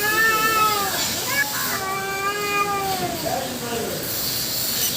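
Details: Fight between two female cats and one black male: a long, steady, moaning yowl held for seconds, with a second wavering voice overlapping near the end.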